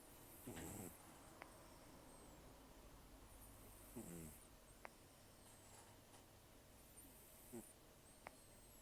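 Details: A sleeping rescued cat named Taro, aged about 10 to 14 and nearly toothless after long outdoor life, gives heavy, rough snores: three brief grating breaths spaced roughly three and a half seconds apart against soft background hiss.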